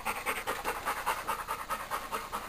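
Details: Rose, a Labrador retriever, pants while playing with her stuffed toy monkey, Mr. Monkey; quick breathy puffs repeat steadily about four times a second with no other clear sounds.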